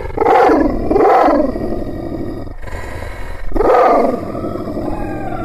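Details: Angry, aggressive Kangal shepherd dog, a Malaklı type from Aksaray, Turkey, giving deep rough barking growls: two loud harsh bursts close together, a pause, then a third long gravelly burst.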